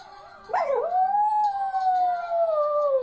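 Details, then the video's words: Singing dog: after a short yelp-like onset, one long, smooth, tonal howl slowly rises and then gently falls in pitch, held for over two seconds in a quiet room. "My cute singing dog"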